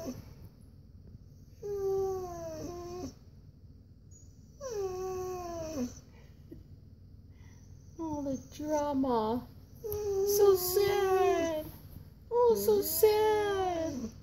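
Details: Koa, a Siberian Husky, whines and complains at home while wanting a walk; several falling tonal whines, later ones wavering and yodel-like, with a person's voice talking over the final calls.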